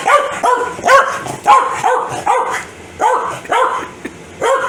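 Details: Corgi named Foxy barking in anger at a sneeze indoors: a run of about nine sharp, mid-pitched barks with harmonic overtones, fired in irregular bursts roughly every half second with brief pauses.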